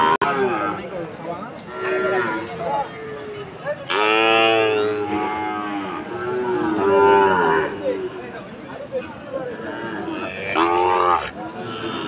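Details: Fattening Sahiwal bull calves at the Aftabganj market in Dinajpur, Bangladesh, 4 March 2023. Several long, loud moos, one rising sharply midway, separated by pauses over a low hum of voices.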